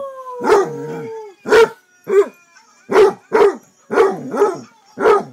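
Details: Pet male Basset Hound gives one drawn-out, slightly falling howl lasting over a second, then a run of seven deep, gruff barks spaced roughly half a second apart, each short and throaty, in a quiet indoor setting.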